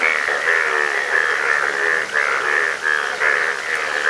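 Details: Frogs in Nepal, with a yellow frog shown, form a dense chorus of buzzy, pulsing calls that rise and fall about twice a second.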